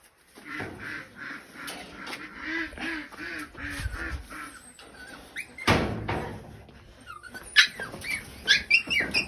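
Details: Pigs at feeding time give steady, evenly spaced nasal squeals with layered harmonics, about two per second. A sharp clatter interrupts them, then scattered higher squeaks and knocks follow.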